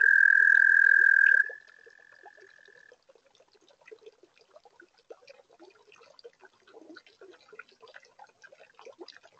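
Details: Webcam sound from a toad pond on a warm spring night: a loud, steady high trill ends after about a second and a half, trails on faintly a little longer, then gives way to a dense background of soft clicks and chirps.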